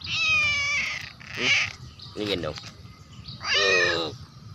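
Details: A 'talking' cat makes three or four meows, a long level one, a short rough one and a final bright, drawn-out call, amid voices and soft music.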